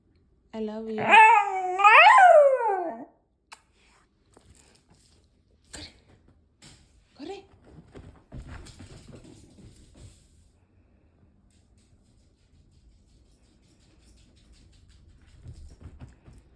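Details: A Miniature Schnauzer gives a short, wavering howl that rises and falls like spoken syllables, sounding as if saying "I love you".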